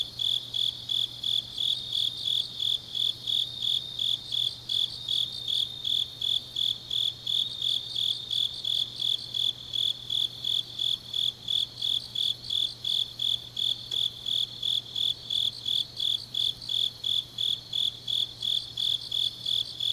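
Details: High-pitched night chorus of grass insects in autumn at Changnyeong, South Gyeongsang Province, Korea; rapid, evenly spaced chirps repeat continuously without pause over a thin higher trill and a faint constant low hum.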